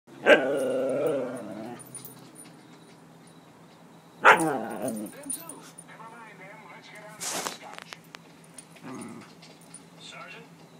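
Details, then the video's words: Female Siberian Husky talking to her toy, giving drawn-out, harmonic, moaning growls at the start and again after four seconds, with quieter grumbles between and a sharp noise near seven seconds. "Hana Growling"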